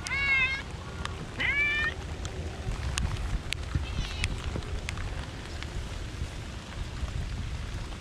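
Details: Park cats in the rain: two short harmonic meows in the first two seconds, a fainter third around four seconds, then steady rain hiss and scattered patter.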